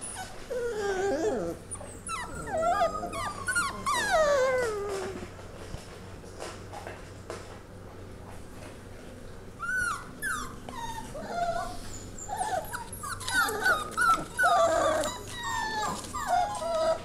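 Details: Five Labrador mix puppies settling in at a foster home under HART care: overlapping high, wavering whimpers and squeals in bursts, with a quieter stretch in the middle and a steady low hum underneath.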